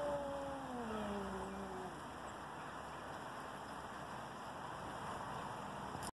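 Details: Two cats facing off before a fight: a long, low, wavering yowl gliding slowly downward for about two seconds, then fading, over steady rain-like background hiss.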